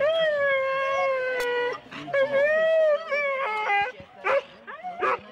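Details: Four-dog Husky sled teams at the start of a race at Rendlesham in January 2016, recorded on analogue cassette tape. The dogs keep up long, steady, wavering howls and whines, with brief yelps and pauses between them.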